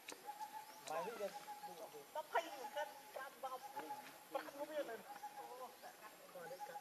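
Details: Baby monkey Leo crying and begging its mother for milk: a run of short wavering, whimpering cries with harmonics, repeated irregularly, over a steady insect drone and faint background chatter.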